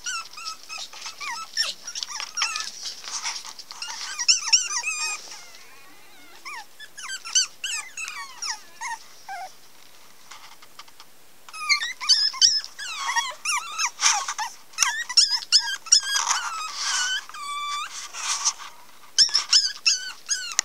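Pomeranian puppies squeak and whine in quick, high-pitched bursts, often overlapping.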